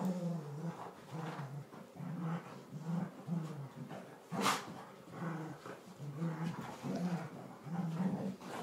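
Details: Tri colour and blue merle Border Collies in a daily play fight in the lounge, giving low pulsing growls in repeated short bursts about every half second, broken by a sharp snap or yelp midway and scuffling sounds.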